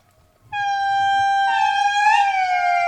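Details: Indri singing in a rich Madagascar forest, recorded on a tour, gives a loud, sustained, horn-like, whale-like wail that holds steady before sliding slightly lower. Indri sing to one another in early mornings, family groups answering back and forth.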